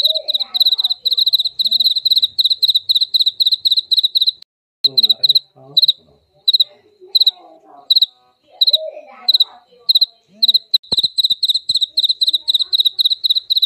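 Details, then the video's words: Jaliteng cricket, sound used to repel mice: dense, piercing pulsed chirps for four seconds, then intermittent chirp bursts mixed with soft lower-pitched rustles and murmurs, before steady rapid chirping returns. "Suara jangkrik jaliteng ampuh pengusir tikus"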